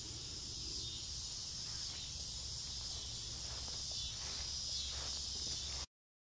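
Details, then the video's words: Summer-evening cicadas in front-yard trees just before dusk, a steady high buzzing hum behind faint rustling and low background rumble, cutting off abruptly near the end. "Noisy cicadas on a summer evening"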